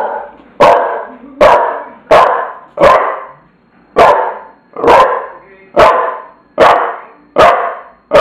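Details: Tula, a bulldog, barking in a steady run of about ten loud, harsh barks, one roughly every eight-tenths of a second, each sharp at the onset and fading quickly, with quiet gaps between.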